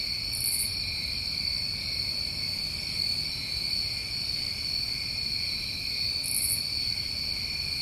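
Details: A New England summer night chorus of crickets: level, ringing trills sustained without pause, broken only by two quick, high buzzy bursts, one early and one late.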